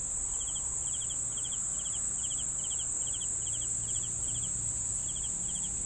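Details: Regular cricket chirps, each a short rattling trill repeated about twice a second, accompanied by a steady shrill high drone and low background noise.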